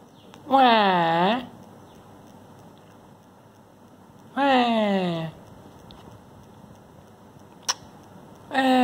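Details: Sleepy kitten Timmy, unwilling to be disturbed, lets out three long nasal meows, each dipping then lifting, spaced roughly four seconds apart, with a brief click between the last two; indoor quiet otherwise.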